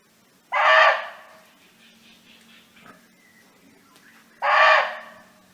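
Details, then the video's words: A barking deer roaming free in the wild, calling to companions, gives two loud, hoarse barks, each sharp and brief, several seconds apart. "55 06 29 เสียงร้องของเก้ง (Sound of Barking Deer)"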